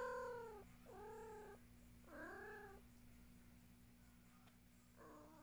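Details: Luna the cat meows four times in quick succession. The calls are tonal and falling, each under a second long, with the last one softer. A constant low hum sounds throughout.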